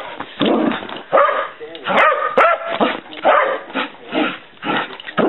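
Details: Playfully wild female dog bouncing around the house; a string of short barks and whiny yips comes in irregular clusters, several sharp loud peaks, and a person talks faintly in the background.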